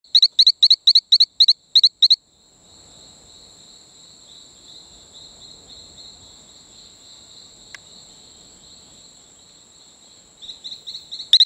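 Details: Talamanca rocket frog on Isla Colon near Playa Bluff, Bocas del Toro, Panama: a quick run of short, sharp high chirps, about eight in two seconds. A long pause follows with a steady high whine in the background, then chirping resumes at the end.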